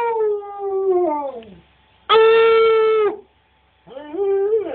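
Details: A husky-wolf hybrid, encouraged by its owner, gives three drawn-out, rich harmonic howls separated by short pauses: the first slides lower, the middle holds a steady pitch, the last rises then falls.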